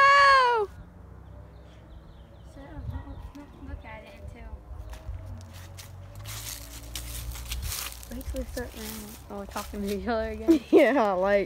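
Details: Domestic cats talking to each other: a short arched meow opens, then after a quiet stretch with rustling, a run of wavering, drawn-out meows and yowls builds toward the end.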